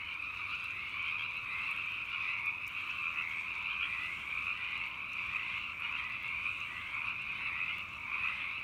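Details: Hundreds of frogs croak at night in a dense chorus, their croaks merging into one steady, trilling wall of sound.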